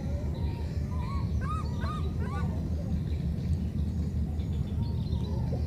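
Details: Separated by a flood, a pair of young monkeys call back and forth: a short cluster of bright, bending chirps midway, with a deep continuous engine-like drone throughout.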